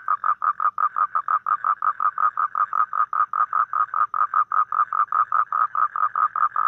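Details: A toad giving a fast, steady series of short nasal pulses, roughly two to three per second, evenly spaced and mid-pitched, with no other sounds in the background.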